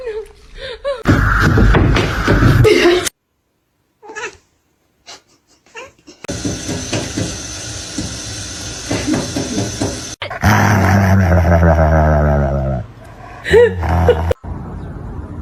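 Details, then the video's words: Kittens meowing and caterwauling in drawn-out, wavering cries, interrupted by overlapping human speech, laughter and sudden cuts of other noise. "Kitten meowing"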